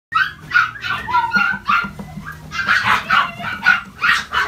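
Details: Chihuahua barking in quick bursts of short, sharp yaps, some rising into higher yips, about nine barks over four seconds with a faint low hum in the background.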